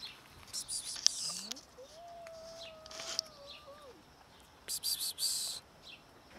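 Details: Black kitten, newly appeared and eating cat food for the first time, gives one long drawn-out meow that rises, holds steady, then falls. Bird chirps, clicks and rustling bursts are heard around it.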